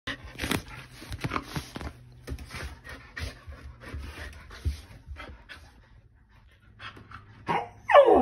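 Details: Fluffy Keeshond overjoyed that its owner has come home, indoors: quick rhythmic panting with soft whimpering noises throughout, ending in a sudden loud, high whine in the final second.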